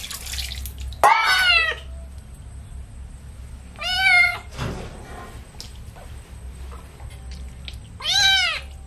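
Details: Baby shampoo bath for a kitten brings three loud, quavering meows, each bowing up then down, separated by a few seconds of splashing and a low room hum.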